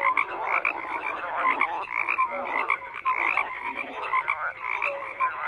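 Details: Frogs in large numbers croak without pause, their harsh, buzzy calls piling into a steady wall of sound that pulses irregularly, with occasional brief tonal chirps mixed in.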